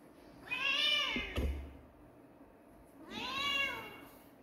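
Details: Two clear kitten meows about two and a half seconds apart, each an arched, bright, harmonic cry; a brief click sounds between them in a quiet room.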